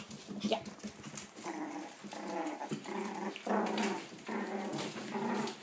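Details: Seven-week-old puppies from Ava's litter, indoors, making a run of drawn-out, tonal growling whines, each lasting about half a second and repeating steadily, with faint human speech behind.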